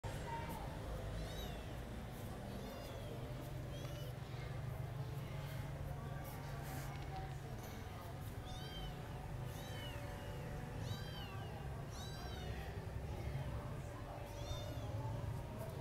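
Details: Abandoned newborn stray kitten, found in a yard on 30 April 2023 and rescued on a cold dark night, around feeding time. It gives thin, high, arching mews about once a second, faint against a constant low rumble.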